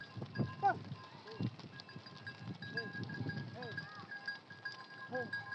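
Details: Sheep of a nomadic flock kept on open pastures, heard in the morning as the fenced pen is opened and the flock runs out to graze; several short, wavering bleats over constant background noise and tonal hum.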